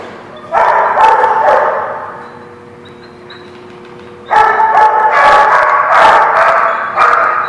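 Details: Dogs at The Barking Lot, recorded 12/3/16, barking in dense overlapping bursts. Loud stretches of rapid, harsh barks open and close the clip, with a quieter gap in between where only a faint steady hum remains.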